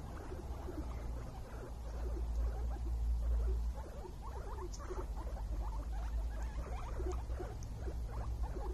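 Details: Happy guinea pig squeaking in a dense stream of short, quick upward chirps, about four each second, overlapping and uneven, with a loud low rumble swelling in the background around the middle.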